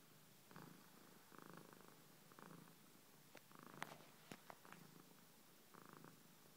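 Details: Pet cat purring close by indoors, soft rhythmic rumbling bursts roughly every second alternating with quieter breaths, a few faint clicks and rustles in between.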